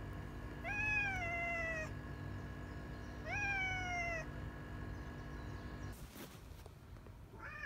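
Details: Two long falling meows from Kuro, the retired boss cat Yongo, kept in home end-of-life care after collapsing in March 2020; a rustling burst follows, then the start of another meow.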